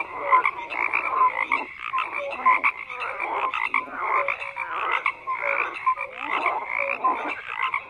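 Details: Numerous frogs croaking in overlapping rhythmic bursts, coarse buzzy pulses interspersed with short whistled tones, the chorus pulsing in waves about once a second.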